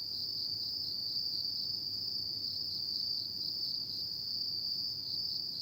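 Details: Autumn insects singing at night: a steady, unbroken high-pitched ringing trill that holds one even tone throughout, with a faint hiss below and no other sounds.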